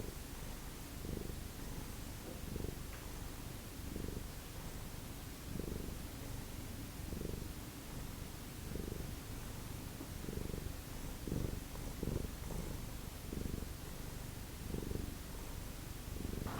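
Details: Domestic cat purring softly indoors with a feral-rescue cat family, a steady low rumble swelling in rhythmic pulses about every one to one and a half seconds, quiet and close, with no other clear sounds.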